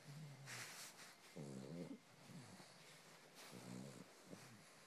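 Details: A pet pug making a purr-like sound, likened to a kitten's: low, buzzy rattling grunts in short bursts, with a longer vibrating grunt in the middle and another near the end, plus soft snuffling breaths between them.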